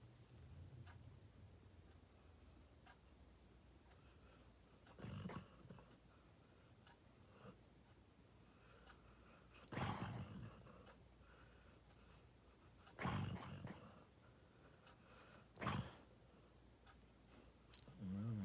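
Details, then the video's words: Harley, a dog, snores loudly while asleep indoors: rough, breathy rasping snorts every three to five seconds, each with a low rumble, separated by quiet room tone. "Even Harley’s Snores Are Adorable"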